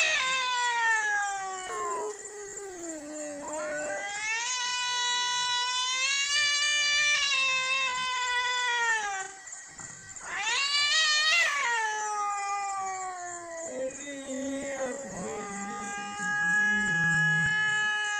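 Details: Two cats, white and brown, crying with a child-like voice: a series of long wavering yowls that bend up and down, separated by short breaks, with one sharp rising cry midway.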